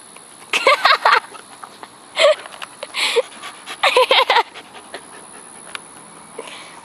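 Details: Pet female dog pulling a weird face and licking her lips while making odd noises: clusters of short, rapid, breathy huffing bursts with a faint tonal edge, grouped in quick runs of three to five, separated by pauses, against a quiet indoor background.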